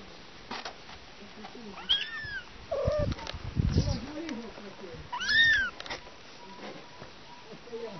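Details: Domestic cat kittens with their mother; two high, thin meows arching up then down, one near two seconds and another near five seconds, with low human voices and soft rustling between them.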